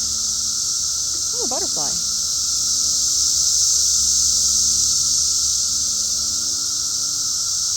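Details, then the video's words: Cicadas outdoors fill the air with a dense, unbroken high-pitched buzzing hiss that holds steady throughout, while a person's voice briefly cuts in with a few wavering syllables near the start. "cicada sounds"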